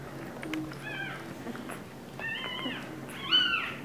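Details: Two-week-old English Bulldog puppies: three short, high, mewing squeals with rising then falling pitch, the last one loudest, over a quiet background hum.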